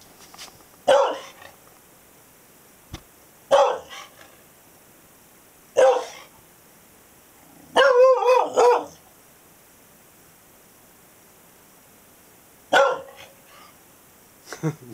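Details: Pet dog reacting to thunder with spaced, sharp barks every two to three seconds, including one longer wavering yowl in the middle, between quiet gaps.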